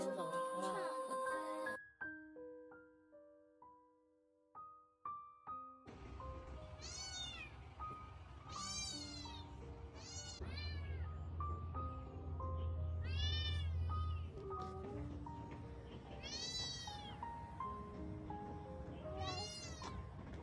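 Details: Thin, shivering stray kitten meowing as it crawls toward a child, seemingly asking people for help; a string of high, arched meows, rising then falling, repeated every second or two over soft piano music.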